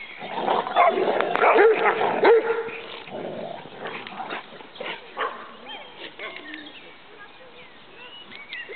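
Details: Three Rhodesian Ridgebacks, Farid, Muck and Kimani, wrestling in play; harsh growls and whines cluster in the first half, fading into softer scuffles and faint human voices later.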